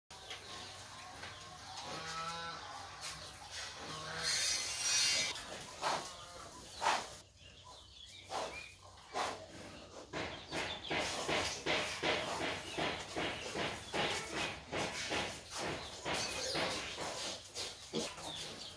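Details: Crossbred wild boar sow nursing her piglets: after a few squeaky, harmonic cries early on, a dense run of short, rhythmic grunting pulses repeats about two to three times a second and steadily builds in loudness.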